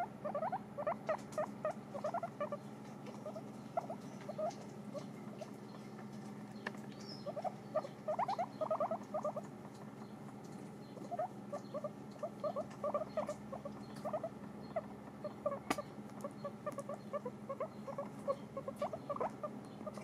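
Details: Pet guinea pigs chewing dried apple slices: dense runs of small crisp crunches and ticks in repeated clusters throughout, briefly quieter gaps between bouts, over a steady low background hum.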